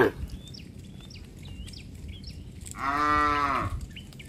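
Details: Cattle walking home along a village road with their herder; one medium moo of under a second rises out of background noise, while small birds chirp repeatedly in the background.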